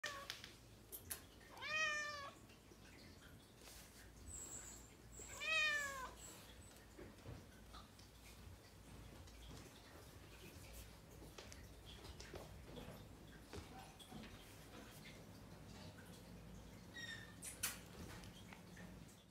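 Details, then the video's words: Pet cat named Maxi meowing indoors: two clear, drawn-out meows with stacked harmonics, near the start and again around the fifth second, then mostly quiet room noise with a few faint clicks and a brief sharp sound near the end. "Tik Tok Cat Maxi is Meow Meow | Katze macht Meow Meow"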